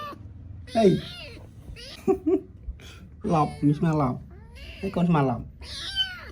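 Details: Playful little kitten giving several short, wavering meows with bent pitch, each about half a second long, spaced a second or two apart, while people talk and chuckle nearby indoors.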